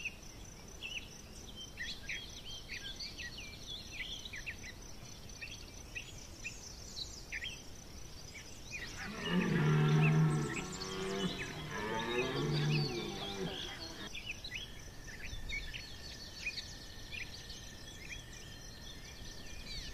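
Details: Red deer stag bellowing during the September rut at Chambord, France, 2021: one long, harsh, deep roar lasting about five seconds mid-recording, with chirping birds and insect calls before and after.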